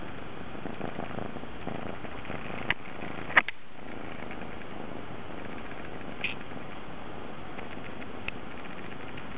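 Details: Affectionate Munchkin cat that likes lying on a lap and wants to be fussed over there, purring in a continuous low, even rumble with a few faint clicks and rustles.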